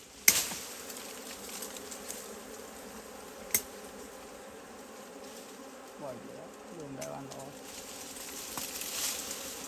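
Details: Buzzing of wild honey bees near a hive deep in the forest, a continuous humming drone with a couple of sharp knocks and a brief human voice partway through.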